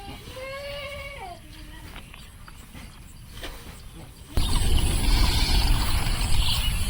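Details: Goat bleating on a sandbar farm along the Padma River, Bangladesh, home to the doe Queen and two kids; a single quavering bleat at the start, then a sudden roar of wind noise drowning everything.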